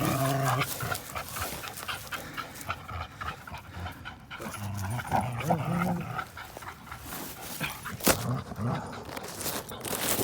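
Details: Two dogs at play, American Pit Bull Terrier Linus against Buddy, a blue Belgian Malinois mix, recorded April 1, 2019: heavy rapid panting, scuffling, and intermittent short whines and grumbling growls throughout.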